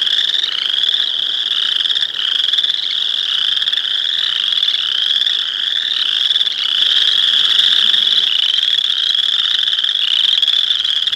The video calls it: boreal chorus frog